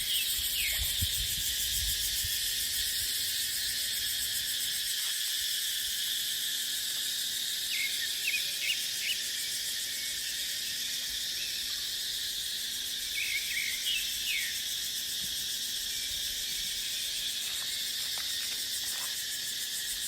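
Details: Continuous shrill cicada drone in a dry dipterocarp forest in the dry season, even and high, with scattered short bird chirps in the middle and a wind gust near the start.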